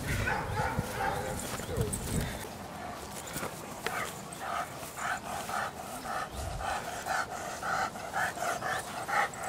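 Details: Female Dogo Canario pup Cali de la Arena barking during protection training, schutzdienst: a run of short barks repeated about twice a second in the second half, with a person talking over them and handling noise.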